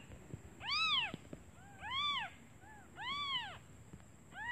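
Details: Hungry newly born kittens cry for their absent mother, who has gone out to find food: three loud, arching, harmonic meows about a second apart, with softer short mews between them and a faint constant high tone.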